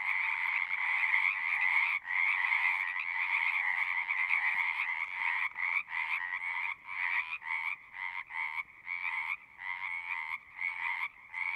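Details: Frogs calling at a pond in a horse pasture, recorded with a Zoom recorder; a dense chorus of trilled croaks around two bands, continuous at first, then breaking into short bursts with brief gaps of quiet.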